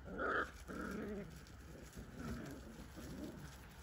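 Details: Four- to six-week-old Whippet puppies at play around seven in the evening: a sharp yelp opens, then rough low growls and grumbling squeals tumble on for a few seconds over steady hum.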